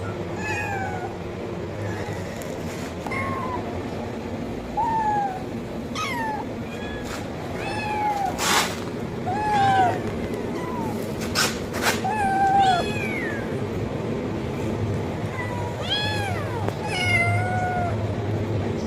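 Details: Kitten meowing loudly for food, repeated high rising-falling meows about every one to two seconds, some strained and wavering, over a steady low background hum.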